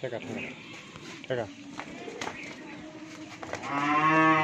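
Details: Pregnant dairy cow, nine months in calf and due to give birth for the second time, on a farm in Pabna, Bangladesh; scattered speech and farm noise, then a loud, rising, harmonic moo begins near the end and is cut off.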